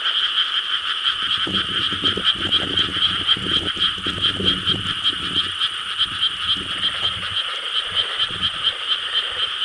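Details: Dense night chorus of frogs in rice paddies of Korea, 4 July 2013, a pulsing, rattling croak wall, with low rumbling thumps in the first half.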